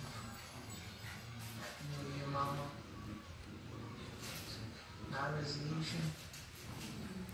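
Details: Two miniature schnauzers trade low, rumbling growls, each lasting about a second, while lazily play fighting, with brief harsher snarls and scuffling between, in a small indoor room.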